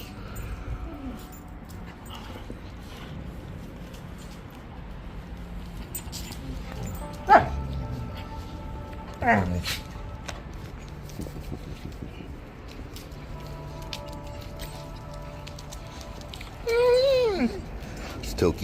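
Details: Young Lycan Shepherds communicating and playing with each other let out a few sharp whimpering yelps, then a longer wavering, rising and falling 'talking' call, while a person speaks quietly over faint music.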